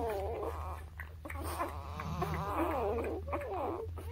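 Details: Newborn puppies indoors, between birth and three weeks old, giving high wavering squeals and whimpers that overlap almost continuously, with a steady low hum beneath.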